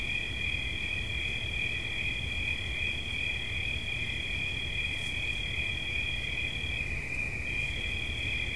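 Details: Steady high cricket trill in two close tones; the upper tone breaks off briefly near the seventh second and resumes, while the lower one continues, over low rumbling background noise.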